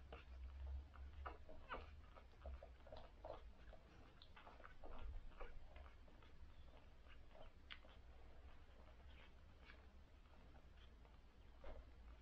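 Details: Litter of six newborn cocker spaniel puppies on their first day, suckling: a steady patter of soft, short clicks and smacks with faint squeaks scattered throughout, over a low background rumble.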